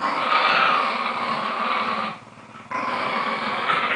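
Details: Lakeland Terriers from New Zealand playing tug of war, a steady harsh growl sustained for two seconds, a short pause, then the growling resumes just as gritty and dense.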